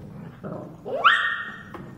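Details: Rottweiler puppy named Dazzy being called by people; a rising whine sweeps up and holds a high tone for about half a second, with low background rumble and voices nearby.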